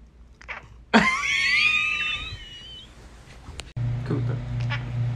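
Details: Cooter the talking kitty, a pet cat, lets out one long, loud, wavering meow that bends upward and trails off over about two seconds, followed by quieter household sounds and a low hum.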